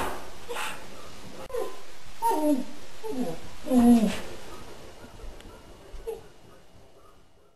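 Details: Crystal, a pet dog, 'sings' Happy Birthday indoors in a small room with a string of short, wavering, falling howls. Louder sliding notes come in the middle, and faint voices can be heard around them.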